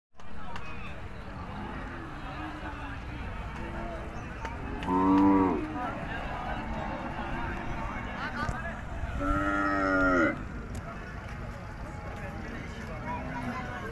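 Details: Bull at an animal market lowing twice, each moo a rich harmonic call lasting about a second, near the five- and ten-second marks, over steady crowd chatter and market bustle.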